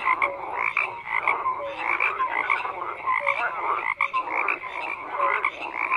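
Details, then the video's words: Frogs croaking in a dense chorus, overlapping pulsed croaks and short tonal notes repeating every half second or so, steady throughout with no other sounds. "FROGS CROAKING"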